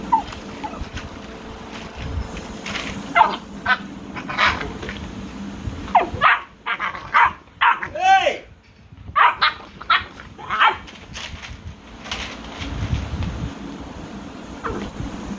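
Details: Several American Bully puppies yelp and yip in short, rapid bursts through a noisy room, including one drawn-out rising and falling squeal, with human voices mixed in.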